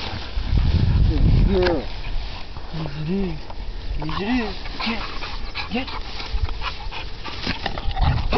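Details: Red-nose American Pit Bull Terrier at play, giving short whining yelps that bend up and down in pitch, about six spread across the stretch, over low rumbling handling noise and voices nearby.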